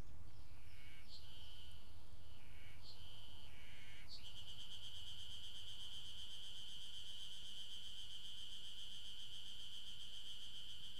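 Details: Ezo spring cicada at Maruseppu in Hokkaido, Japan, mid-June 2012: a few short wavering chirps lead into an unbroken, steady, high, rasping drone that holds to the end, with a low rumble beneath.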